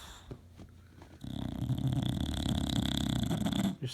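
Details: A 2-year-old male English Bulldog napping on his favourite leather chair lets out a long, deep, rattling snore after a quieter opening breath.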